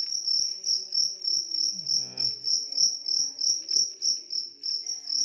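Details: Loud, high-pitched chirping from a large cricket, evenly pulsed at roughly three beats a second, with a short murmured voice partway through.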